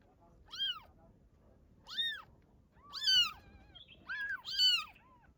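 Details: Newborn kitten's mother, a domestic cat, repeatedly meows in clear arching cries roughly every second, some paired close together, over faint low background noise.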